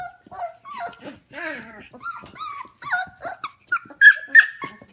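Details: F1 Goldendoodle puppies, 25 days old, heard at home at 11 pm. They give a rapid run of high, wavering whimpers and squeaky yelps, each rising then falling, several times a second, with brief quiet gaps between.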